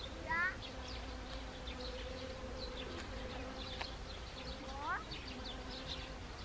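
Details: Honeybees visiting Siberian chrysanthemum in Gangwon Province, Korea, on 1 October 2020; a level wing hum runs throughout, while two short rising chirps, likely a bird, cut in near the start and around five seconds.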